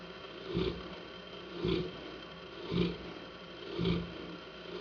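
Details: Hanna, a Saint Bernard, snores in four rough, throaty pulses about a second apart, each swelling and fading, with a constant low hum behind.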